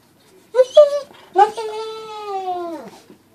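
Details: Jealous indoor dog named Tank, whining as its owner plays with a squirrel, gives two short yelping notes and then a sustained, steady whine that falls at the end; quiet room otherwise.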